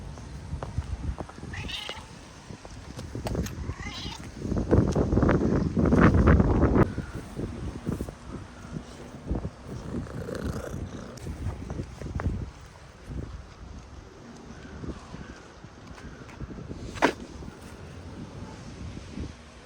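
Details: Stray cats in wet weather, meowing briefly a few times early on. A loud burst of human voice and handling noise follows, then steady rain patter and drips fill the rest.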